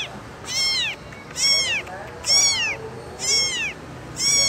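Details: Kitten calling for its mother: five high, piercing meows, each arching up then sliding down, repeated roughly once a second over a faint steady hiss.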